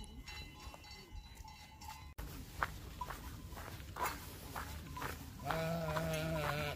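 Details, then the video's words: Swiss flock of sheep going out early in the morning to graze near the Matterhorn; bells jingle amid rustling and a muffled background, and a sustained quavering bleat closes the recording. "양들의 합창"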